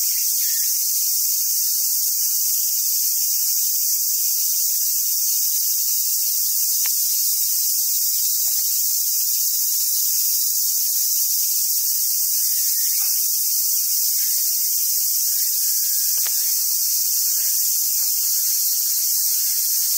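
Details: Cicadas drone in a dense, steady, high hiss of summer song that never lets up, at a wild Japanese macaque park on Awaji Island, Hyogo, Japan.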